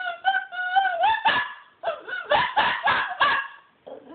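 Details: Pet dog described as being naughty, crying with high tonal whines that waver and slide, then a run of short sharp yelps and barks in quick succession, ending with a lower whimper.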